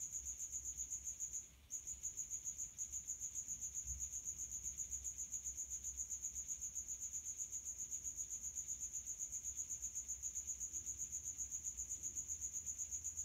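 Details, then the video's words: A male Acheta domestica, the common house cricket, chirps in high heat by rubbing its outer wings, sheltered in a resonant hideaway; a long unbroken run of fast, piercing, regular pulses after one early pause. "High heat Acheta domestica cricket chirp (Τερέτισμα γρύλλου Acheta domestica σε υψηλή θερμοκρασία)"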